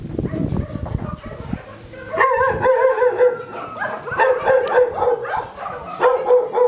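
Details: Dog named Kristof whining: after a brief murmur of voices, a long run of drawn-out, wavering tonal whines with slight pitch wobbles, held with barely any pause and swelling and fading in loudness.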